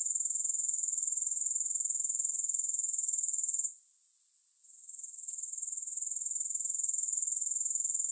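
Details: Continuous high, buzzy grasshopper chirring with regular rapid pulses. Near the middle it drops out briefly for about a second, then builds back to a steady trill. No other sounds.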